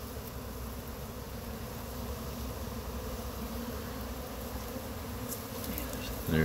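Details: Honey bees of a swarm clustered on a pine tree in Chattanooga while being collected into a box; a steady low droning buzz, then a human voice begins right at the end.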